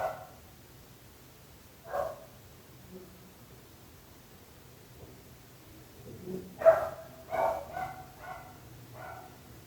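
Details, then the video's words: Dogs barking near neighbours' homes. Isolated single barks open the stretch, then after a quiet gap a rapid cluster of four or five barks follows, fading away over faint low rumble. "26 minuts gossos lladrant / 26 minutes barking dogs"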